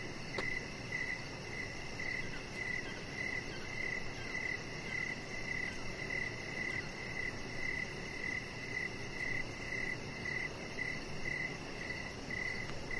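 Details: Crickets chirping outdoors in the evening beside a deck where a chihuahua puppy lies: a steady high-pitched chirp pulsing about twice a second throughout, over a faint background hiss.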